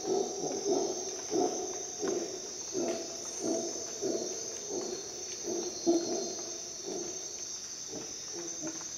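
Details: Dawn rainforest in Costa Rica with a howler monkey's coarse, low grunting roars pulsing roughly once per second, set against an unbroken high insect buzz.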